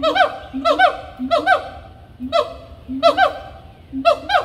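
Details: Loud monkeys at Animal Kingdom giving bursts of harmonic, swooping calls: low hooting notes joined by rising, yelping cries, about eight bursts in under five seconds, each a quick rise and fall.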